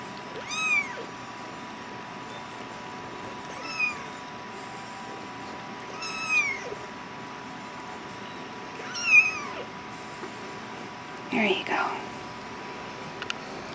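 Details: Hungry cat begging during feeding in a small room: four separate arched meows, rising then dropping, spaced roughly three seconds apart, followed by a soft rustling thump near the end, with a faint steady hum behind.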